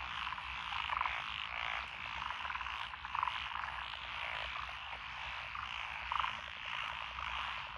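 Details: Rural lotus rice paddies in Echizen, Fukui, Japan, June 2021, where several frog species call together. An unbroken wall of croaking with louder pulsed calls about every two to three seconds standing out from the chorus.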